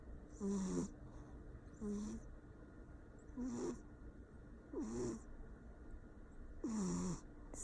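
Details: Sleeping Persian cat snoring loudly, five rough, buzzy snores roughly every one and a half seconds, some with a slight upward pitch sweep, separated by quiet breathing pauses.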